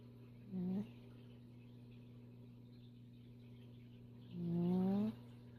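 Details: Sleeping female pet cat snoring: two low, rising, buzzy-toned breaths with faint harmonics, the second longer, about four seconds apart, over a steady low electrical hum.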